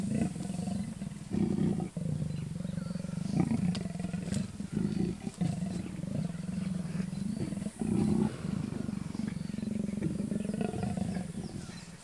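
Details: Mating wild leopards, an unwilling male and an insistent female, around Kruger National Park in South Africa; long throaty rumbling growl, continuous and pulsing, with brief breaks near the second and eighth seconds.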